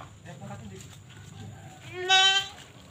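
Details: Goat awaiting sale, giving a single short, loud, quavering bleat with a rich stack of overtones near the end, after a stretch of low background chatter.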